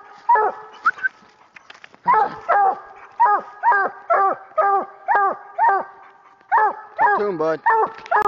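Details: A year-old coonhound pup baying treed on a raccoon hunt: strong barks dropping in pitch, roughly two per second after a short pause, ending in a quick run of deeper barks; a voice briefly heard early on.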